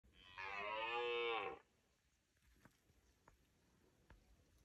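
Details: Red deer calling on a foggy morning: one loud, drawn-out harmonic bellow of about a second, slightly falling at the end, followed by quiet with faint clicks.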